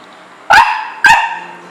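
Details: Pet dog indoors on a rainy day, wanting to go outside to play and relieve itself rather than inside: two sharp, loud barks about half a second apart, each bright and strongly harmonic, over a quiet room.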